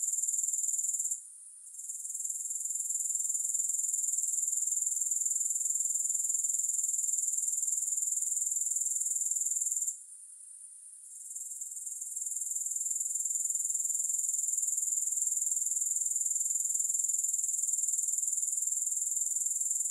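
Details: A continuous high-pitched pulsing drone from grasshoppers, steady at about four pulses a second. It has two short quiet dips, one early and one midway, each followed by a gradual swell back to full level.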